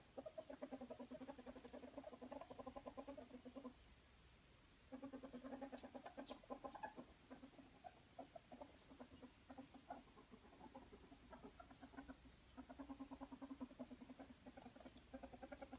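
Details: A ferret romping and wrestling makes long runs of rapid clucking chatter, known as Muckern, broken by a one-second silence near four seconds and a looser, sparser stretch in the middle before the steady pulsing returns.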